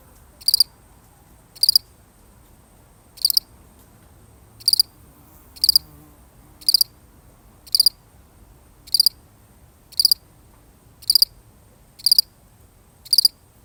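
A lone cricket gives high, shrill chirps, roughly one per second, against a quiet background.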